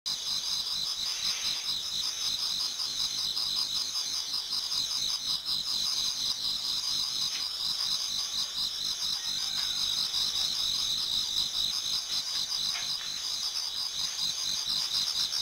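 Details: A dense, steady chorus of high insect trills and chirps from many autumn insects singing in a Japanese garden toward dawn.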